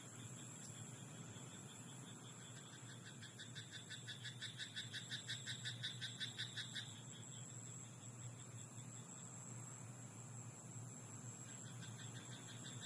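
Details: Frog croaking in a rice paddy at night: a fast run of rapid, evenly spaced pulsed notes, mid-to-high pitched, building for about four seconds before stopping, over a steady low rural hum and background hiss.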